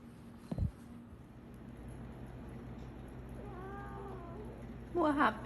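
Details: A young female Bengal cat in heat gives drawn-out, wavering meows, calling for a mate.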